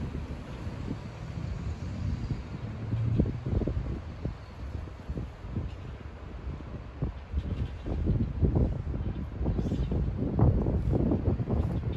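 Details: Heavy wind buffeting the microphone produces low rumbling gusts throughout, with no animal calls.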